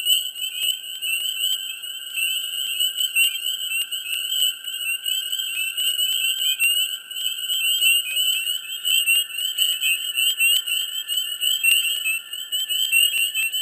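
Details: Swamp in mid spring with a dense frog chorus: continuous shrill, ringing trills from countless callers overlap for the whole stretch, peppered with quick clicks, and the loudness stays high and even.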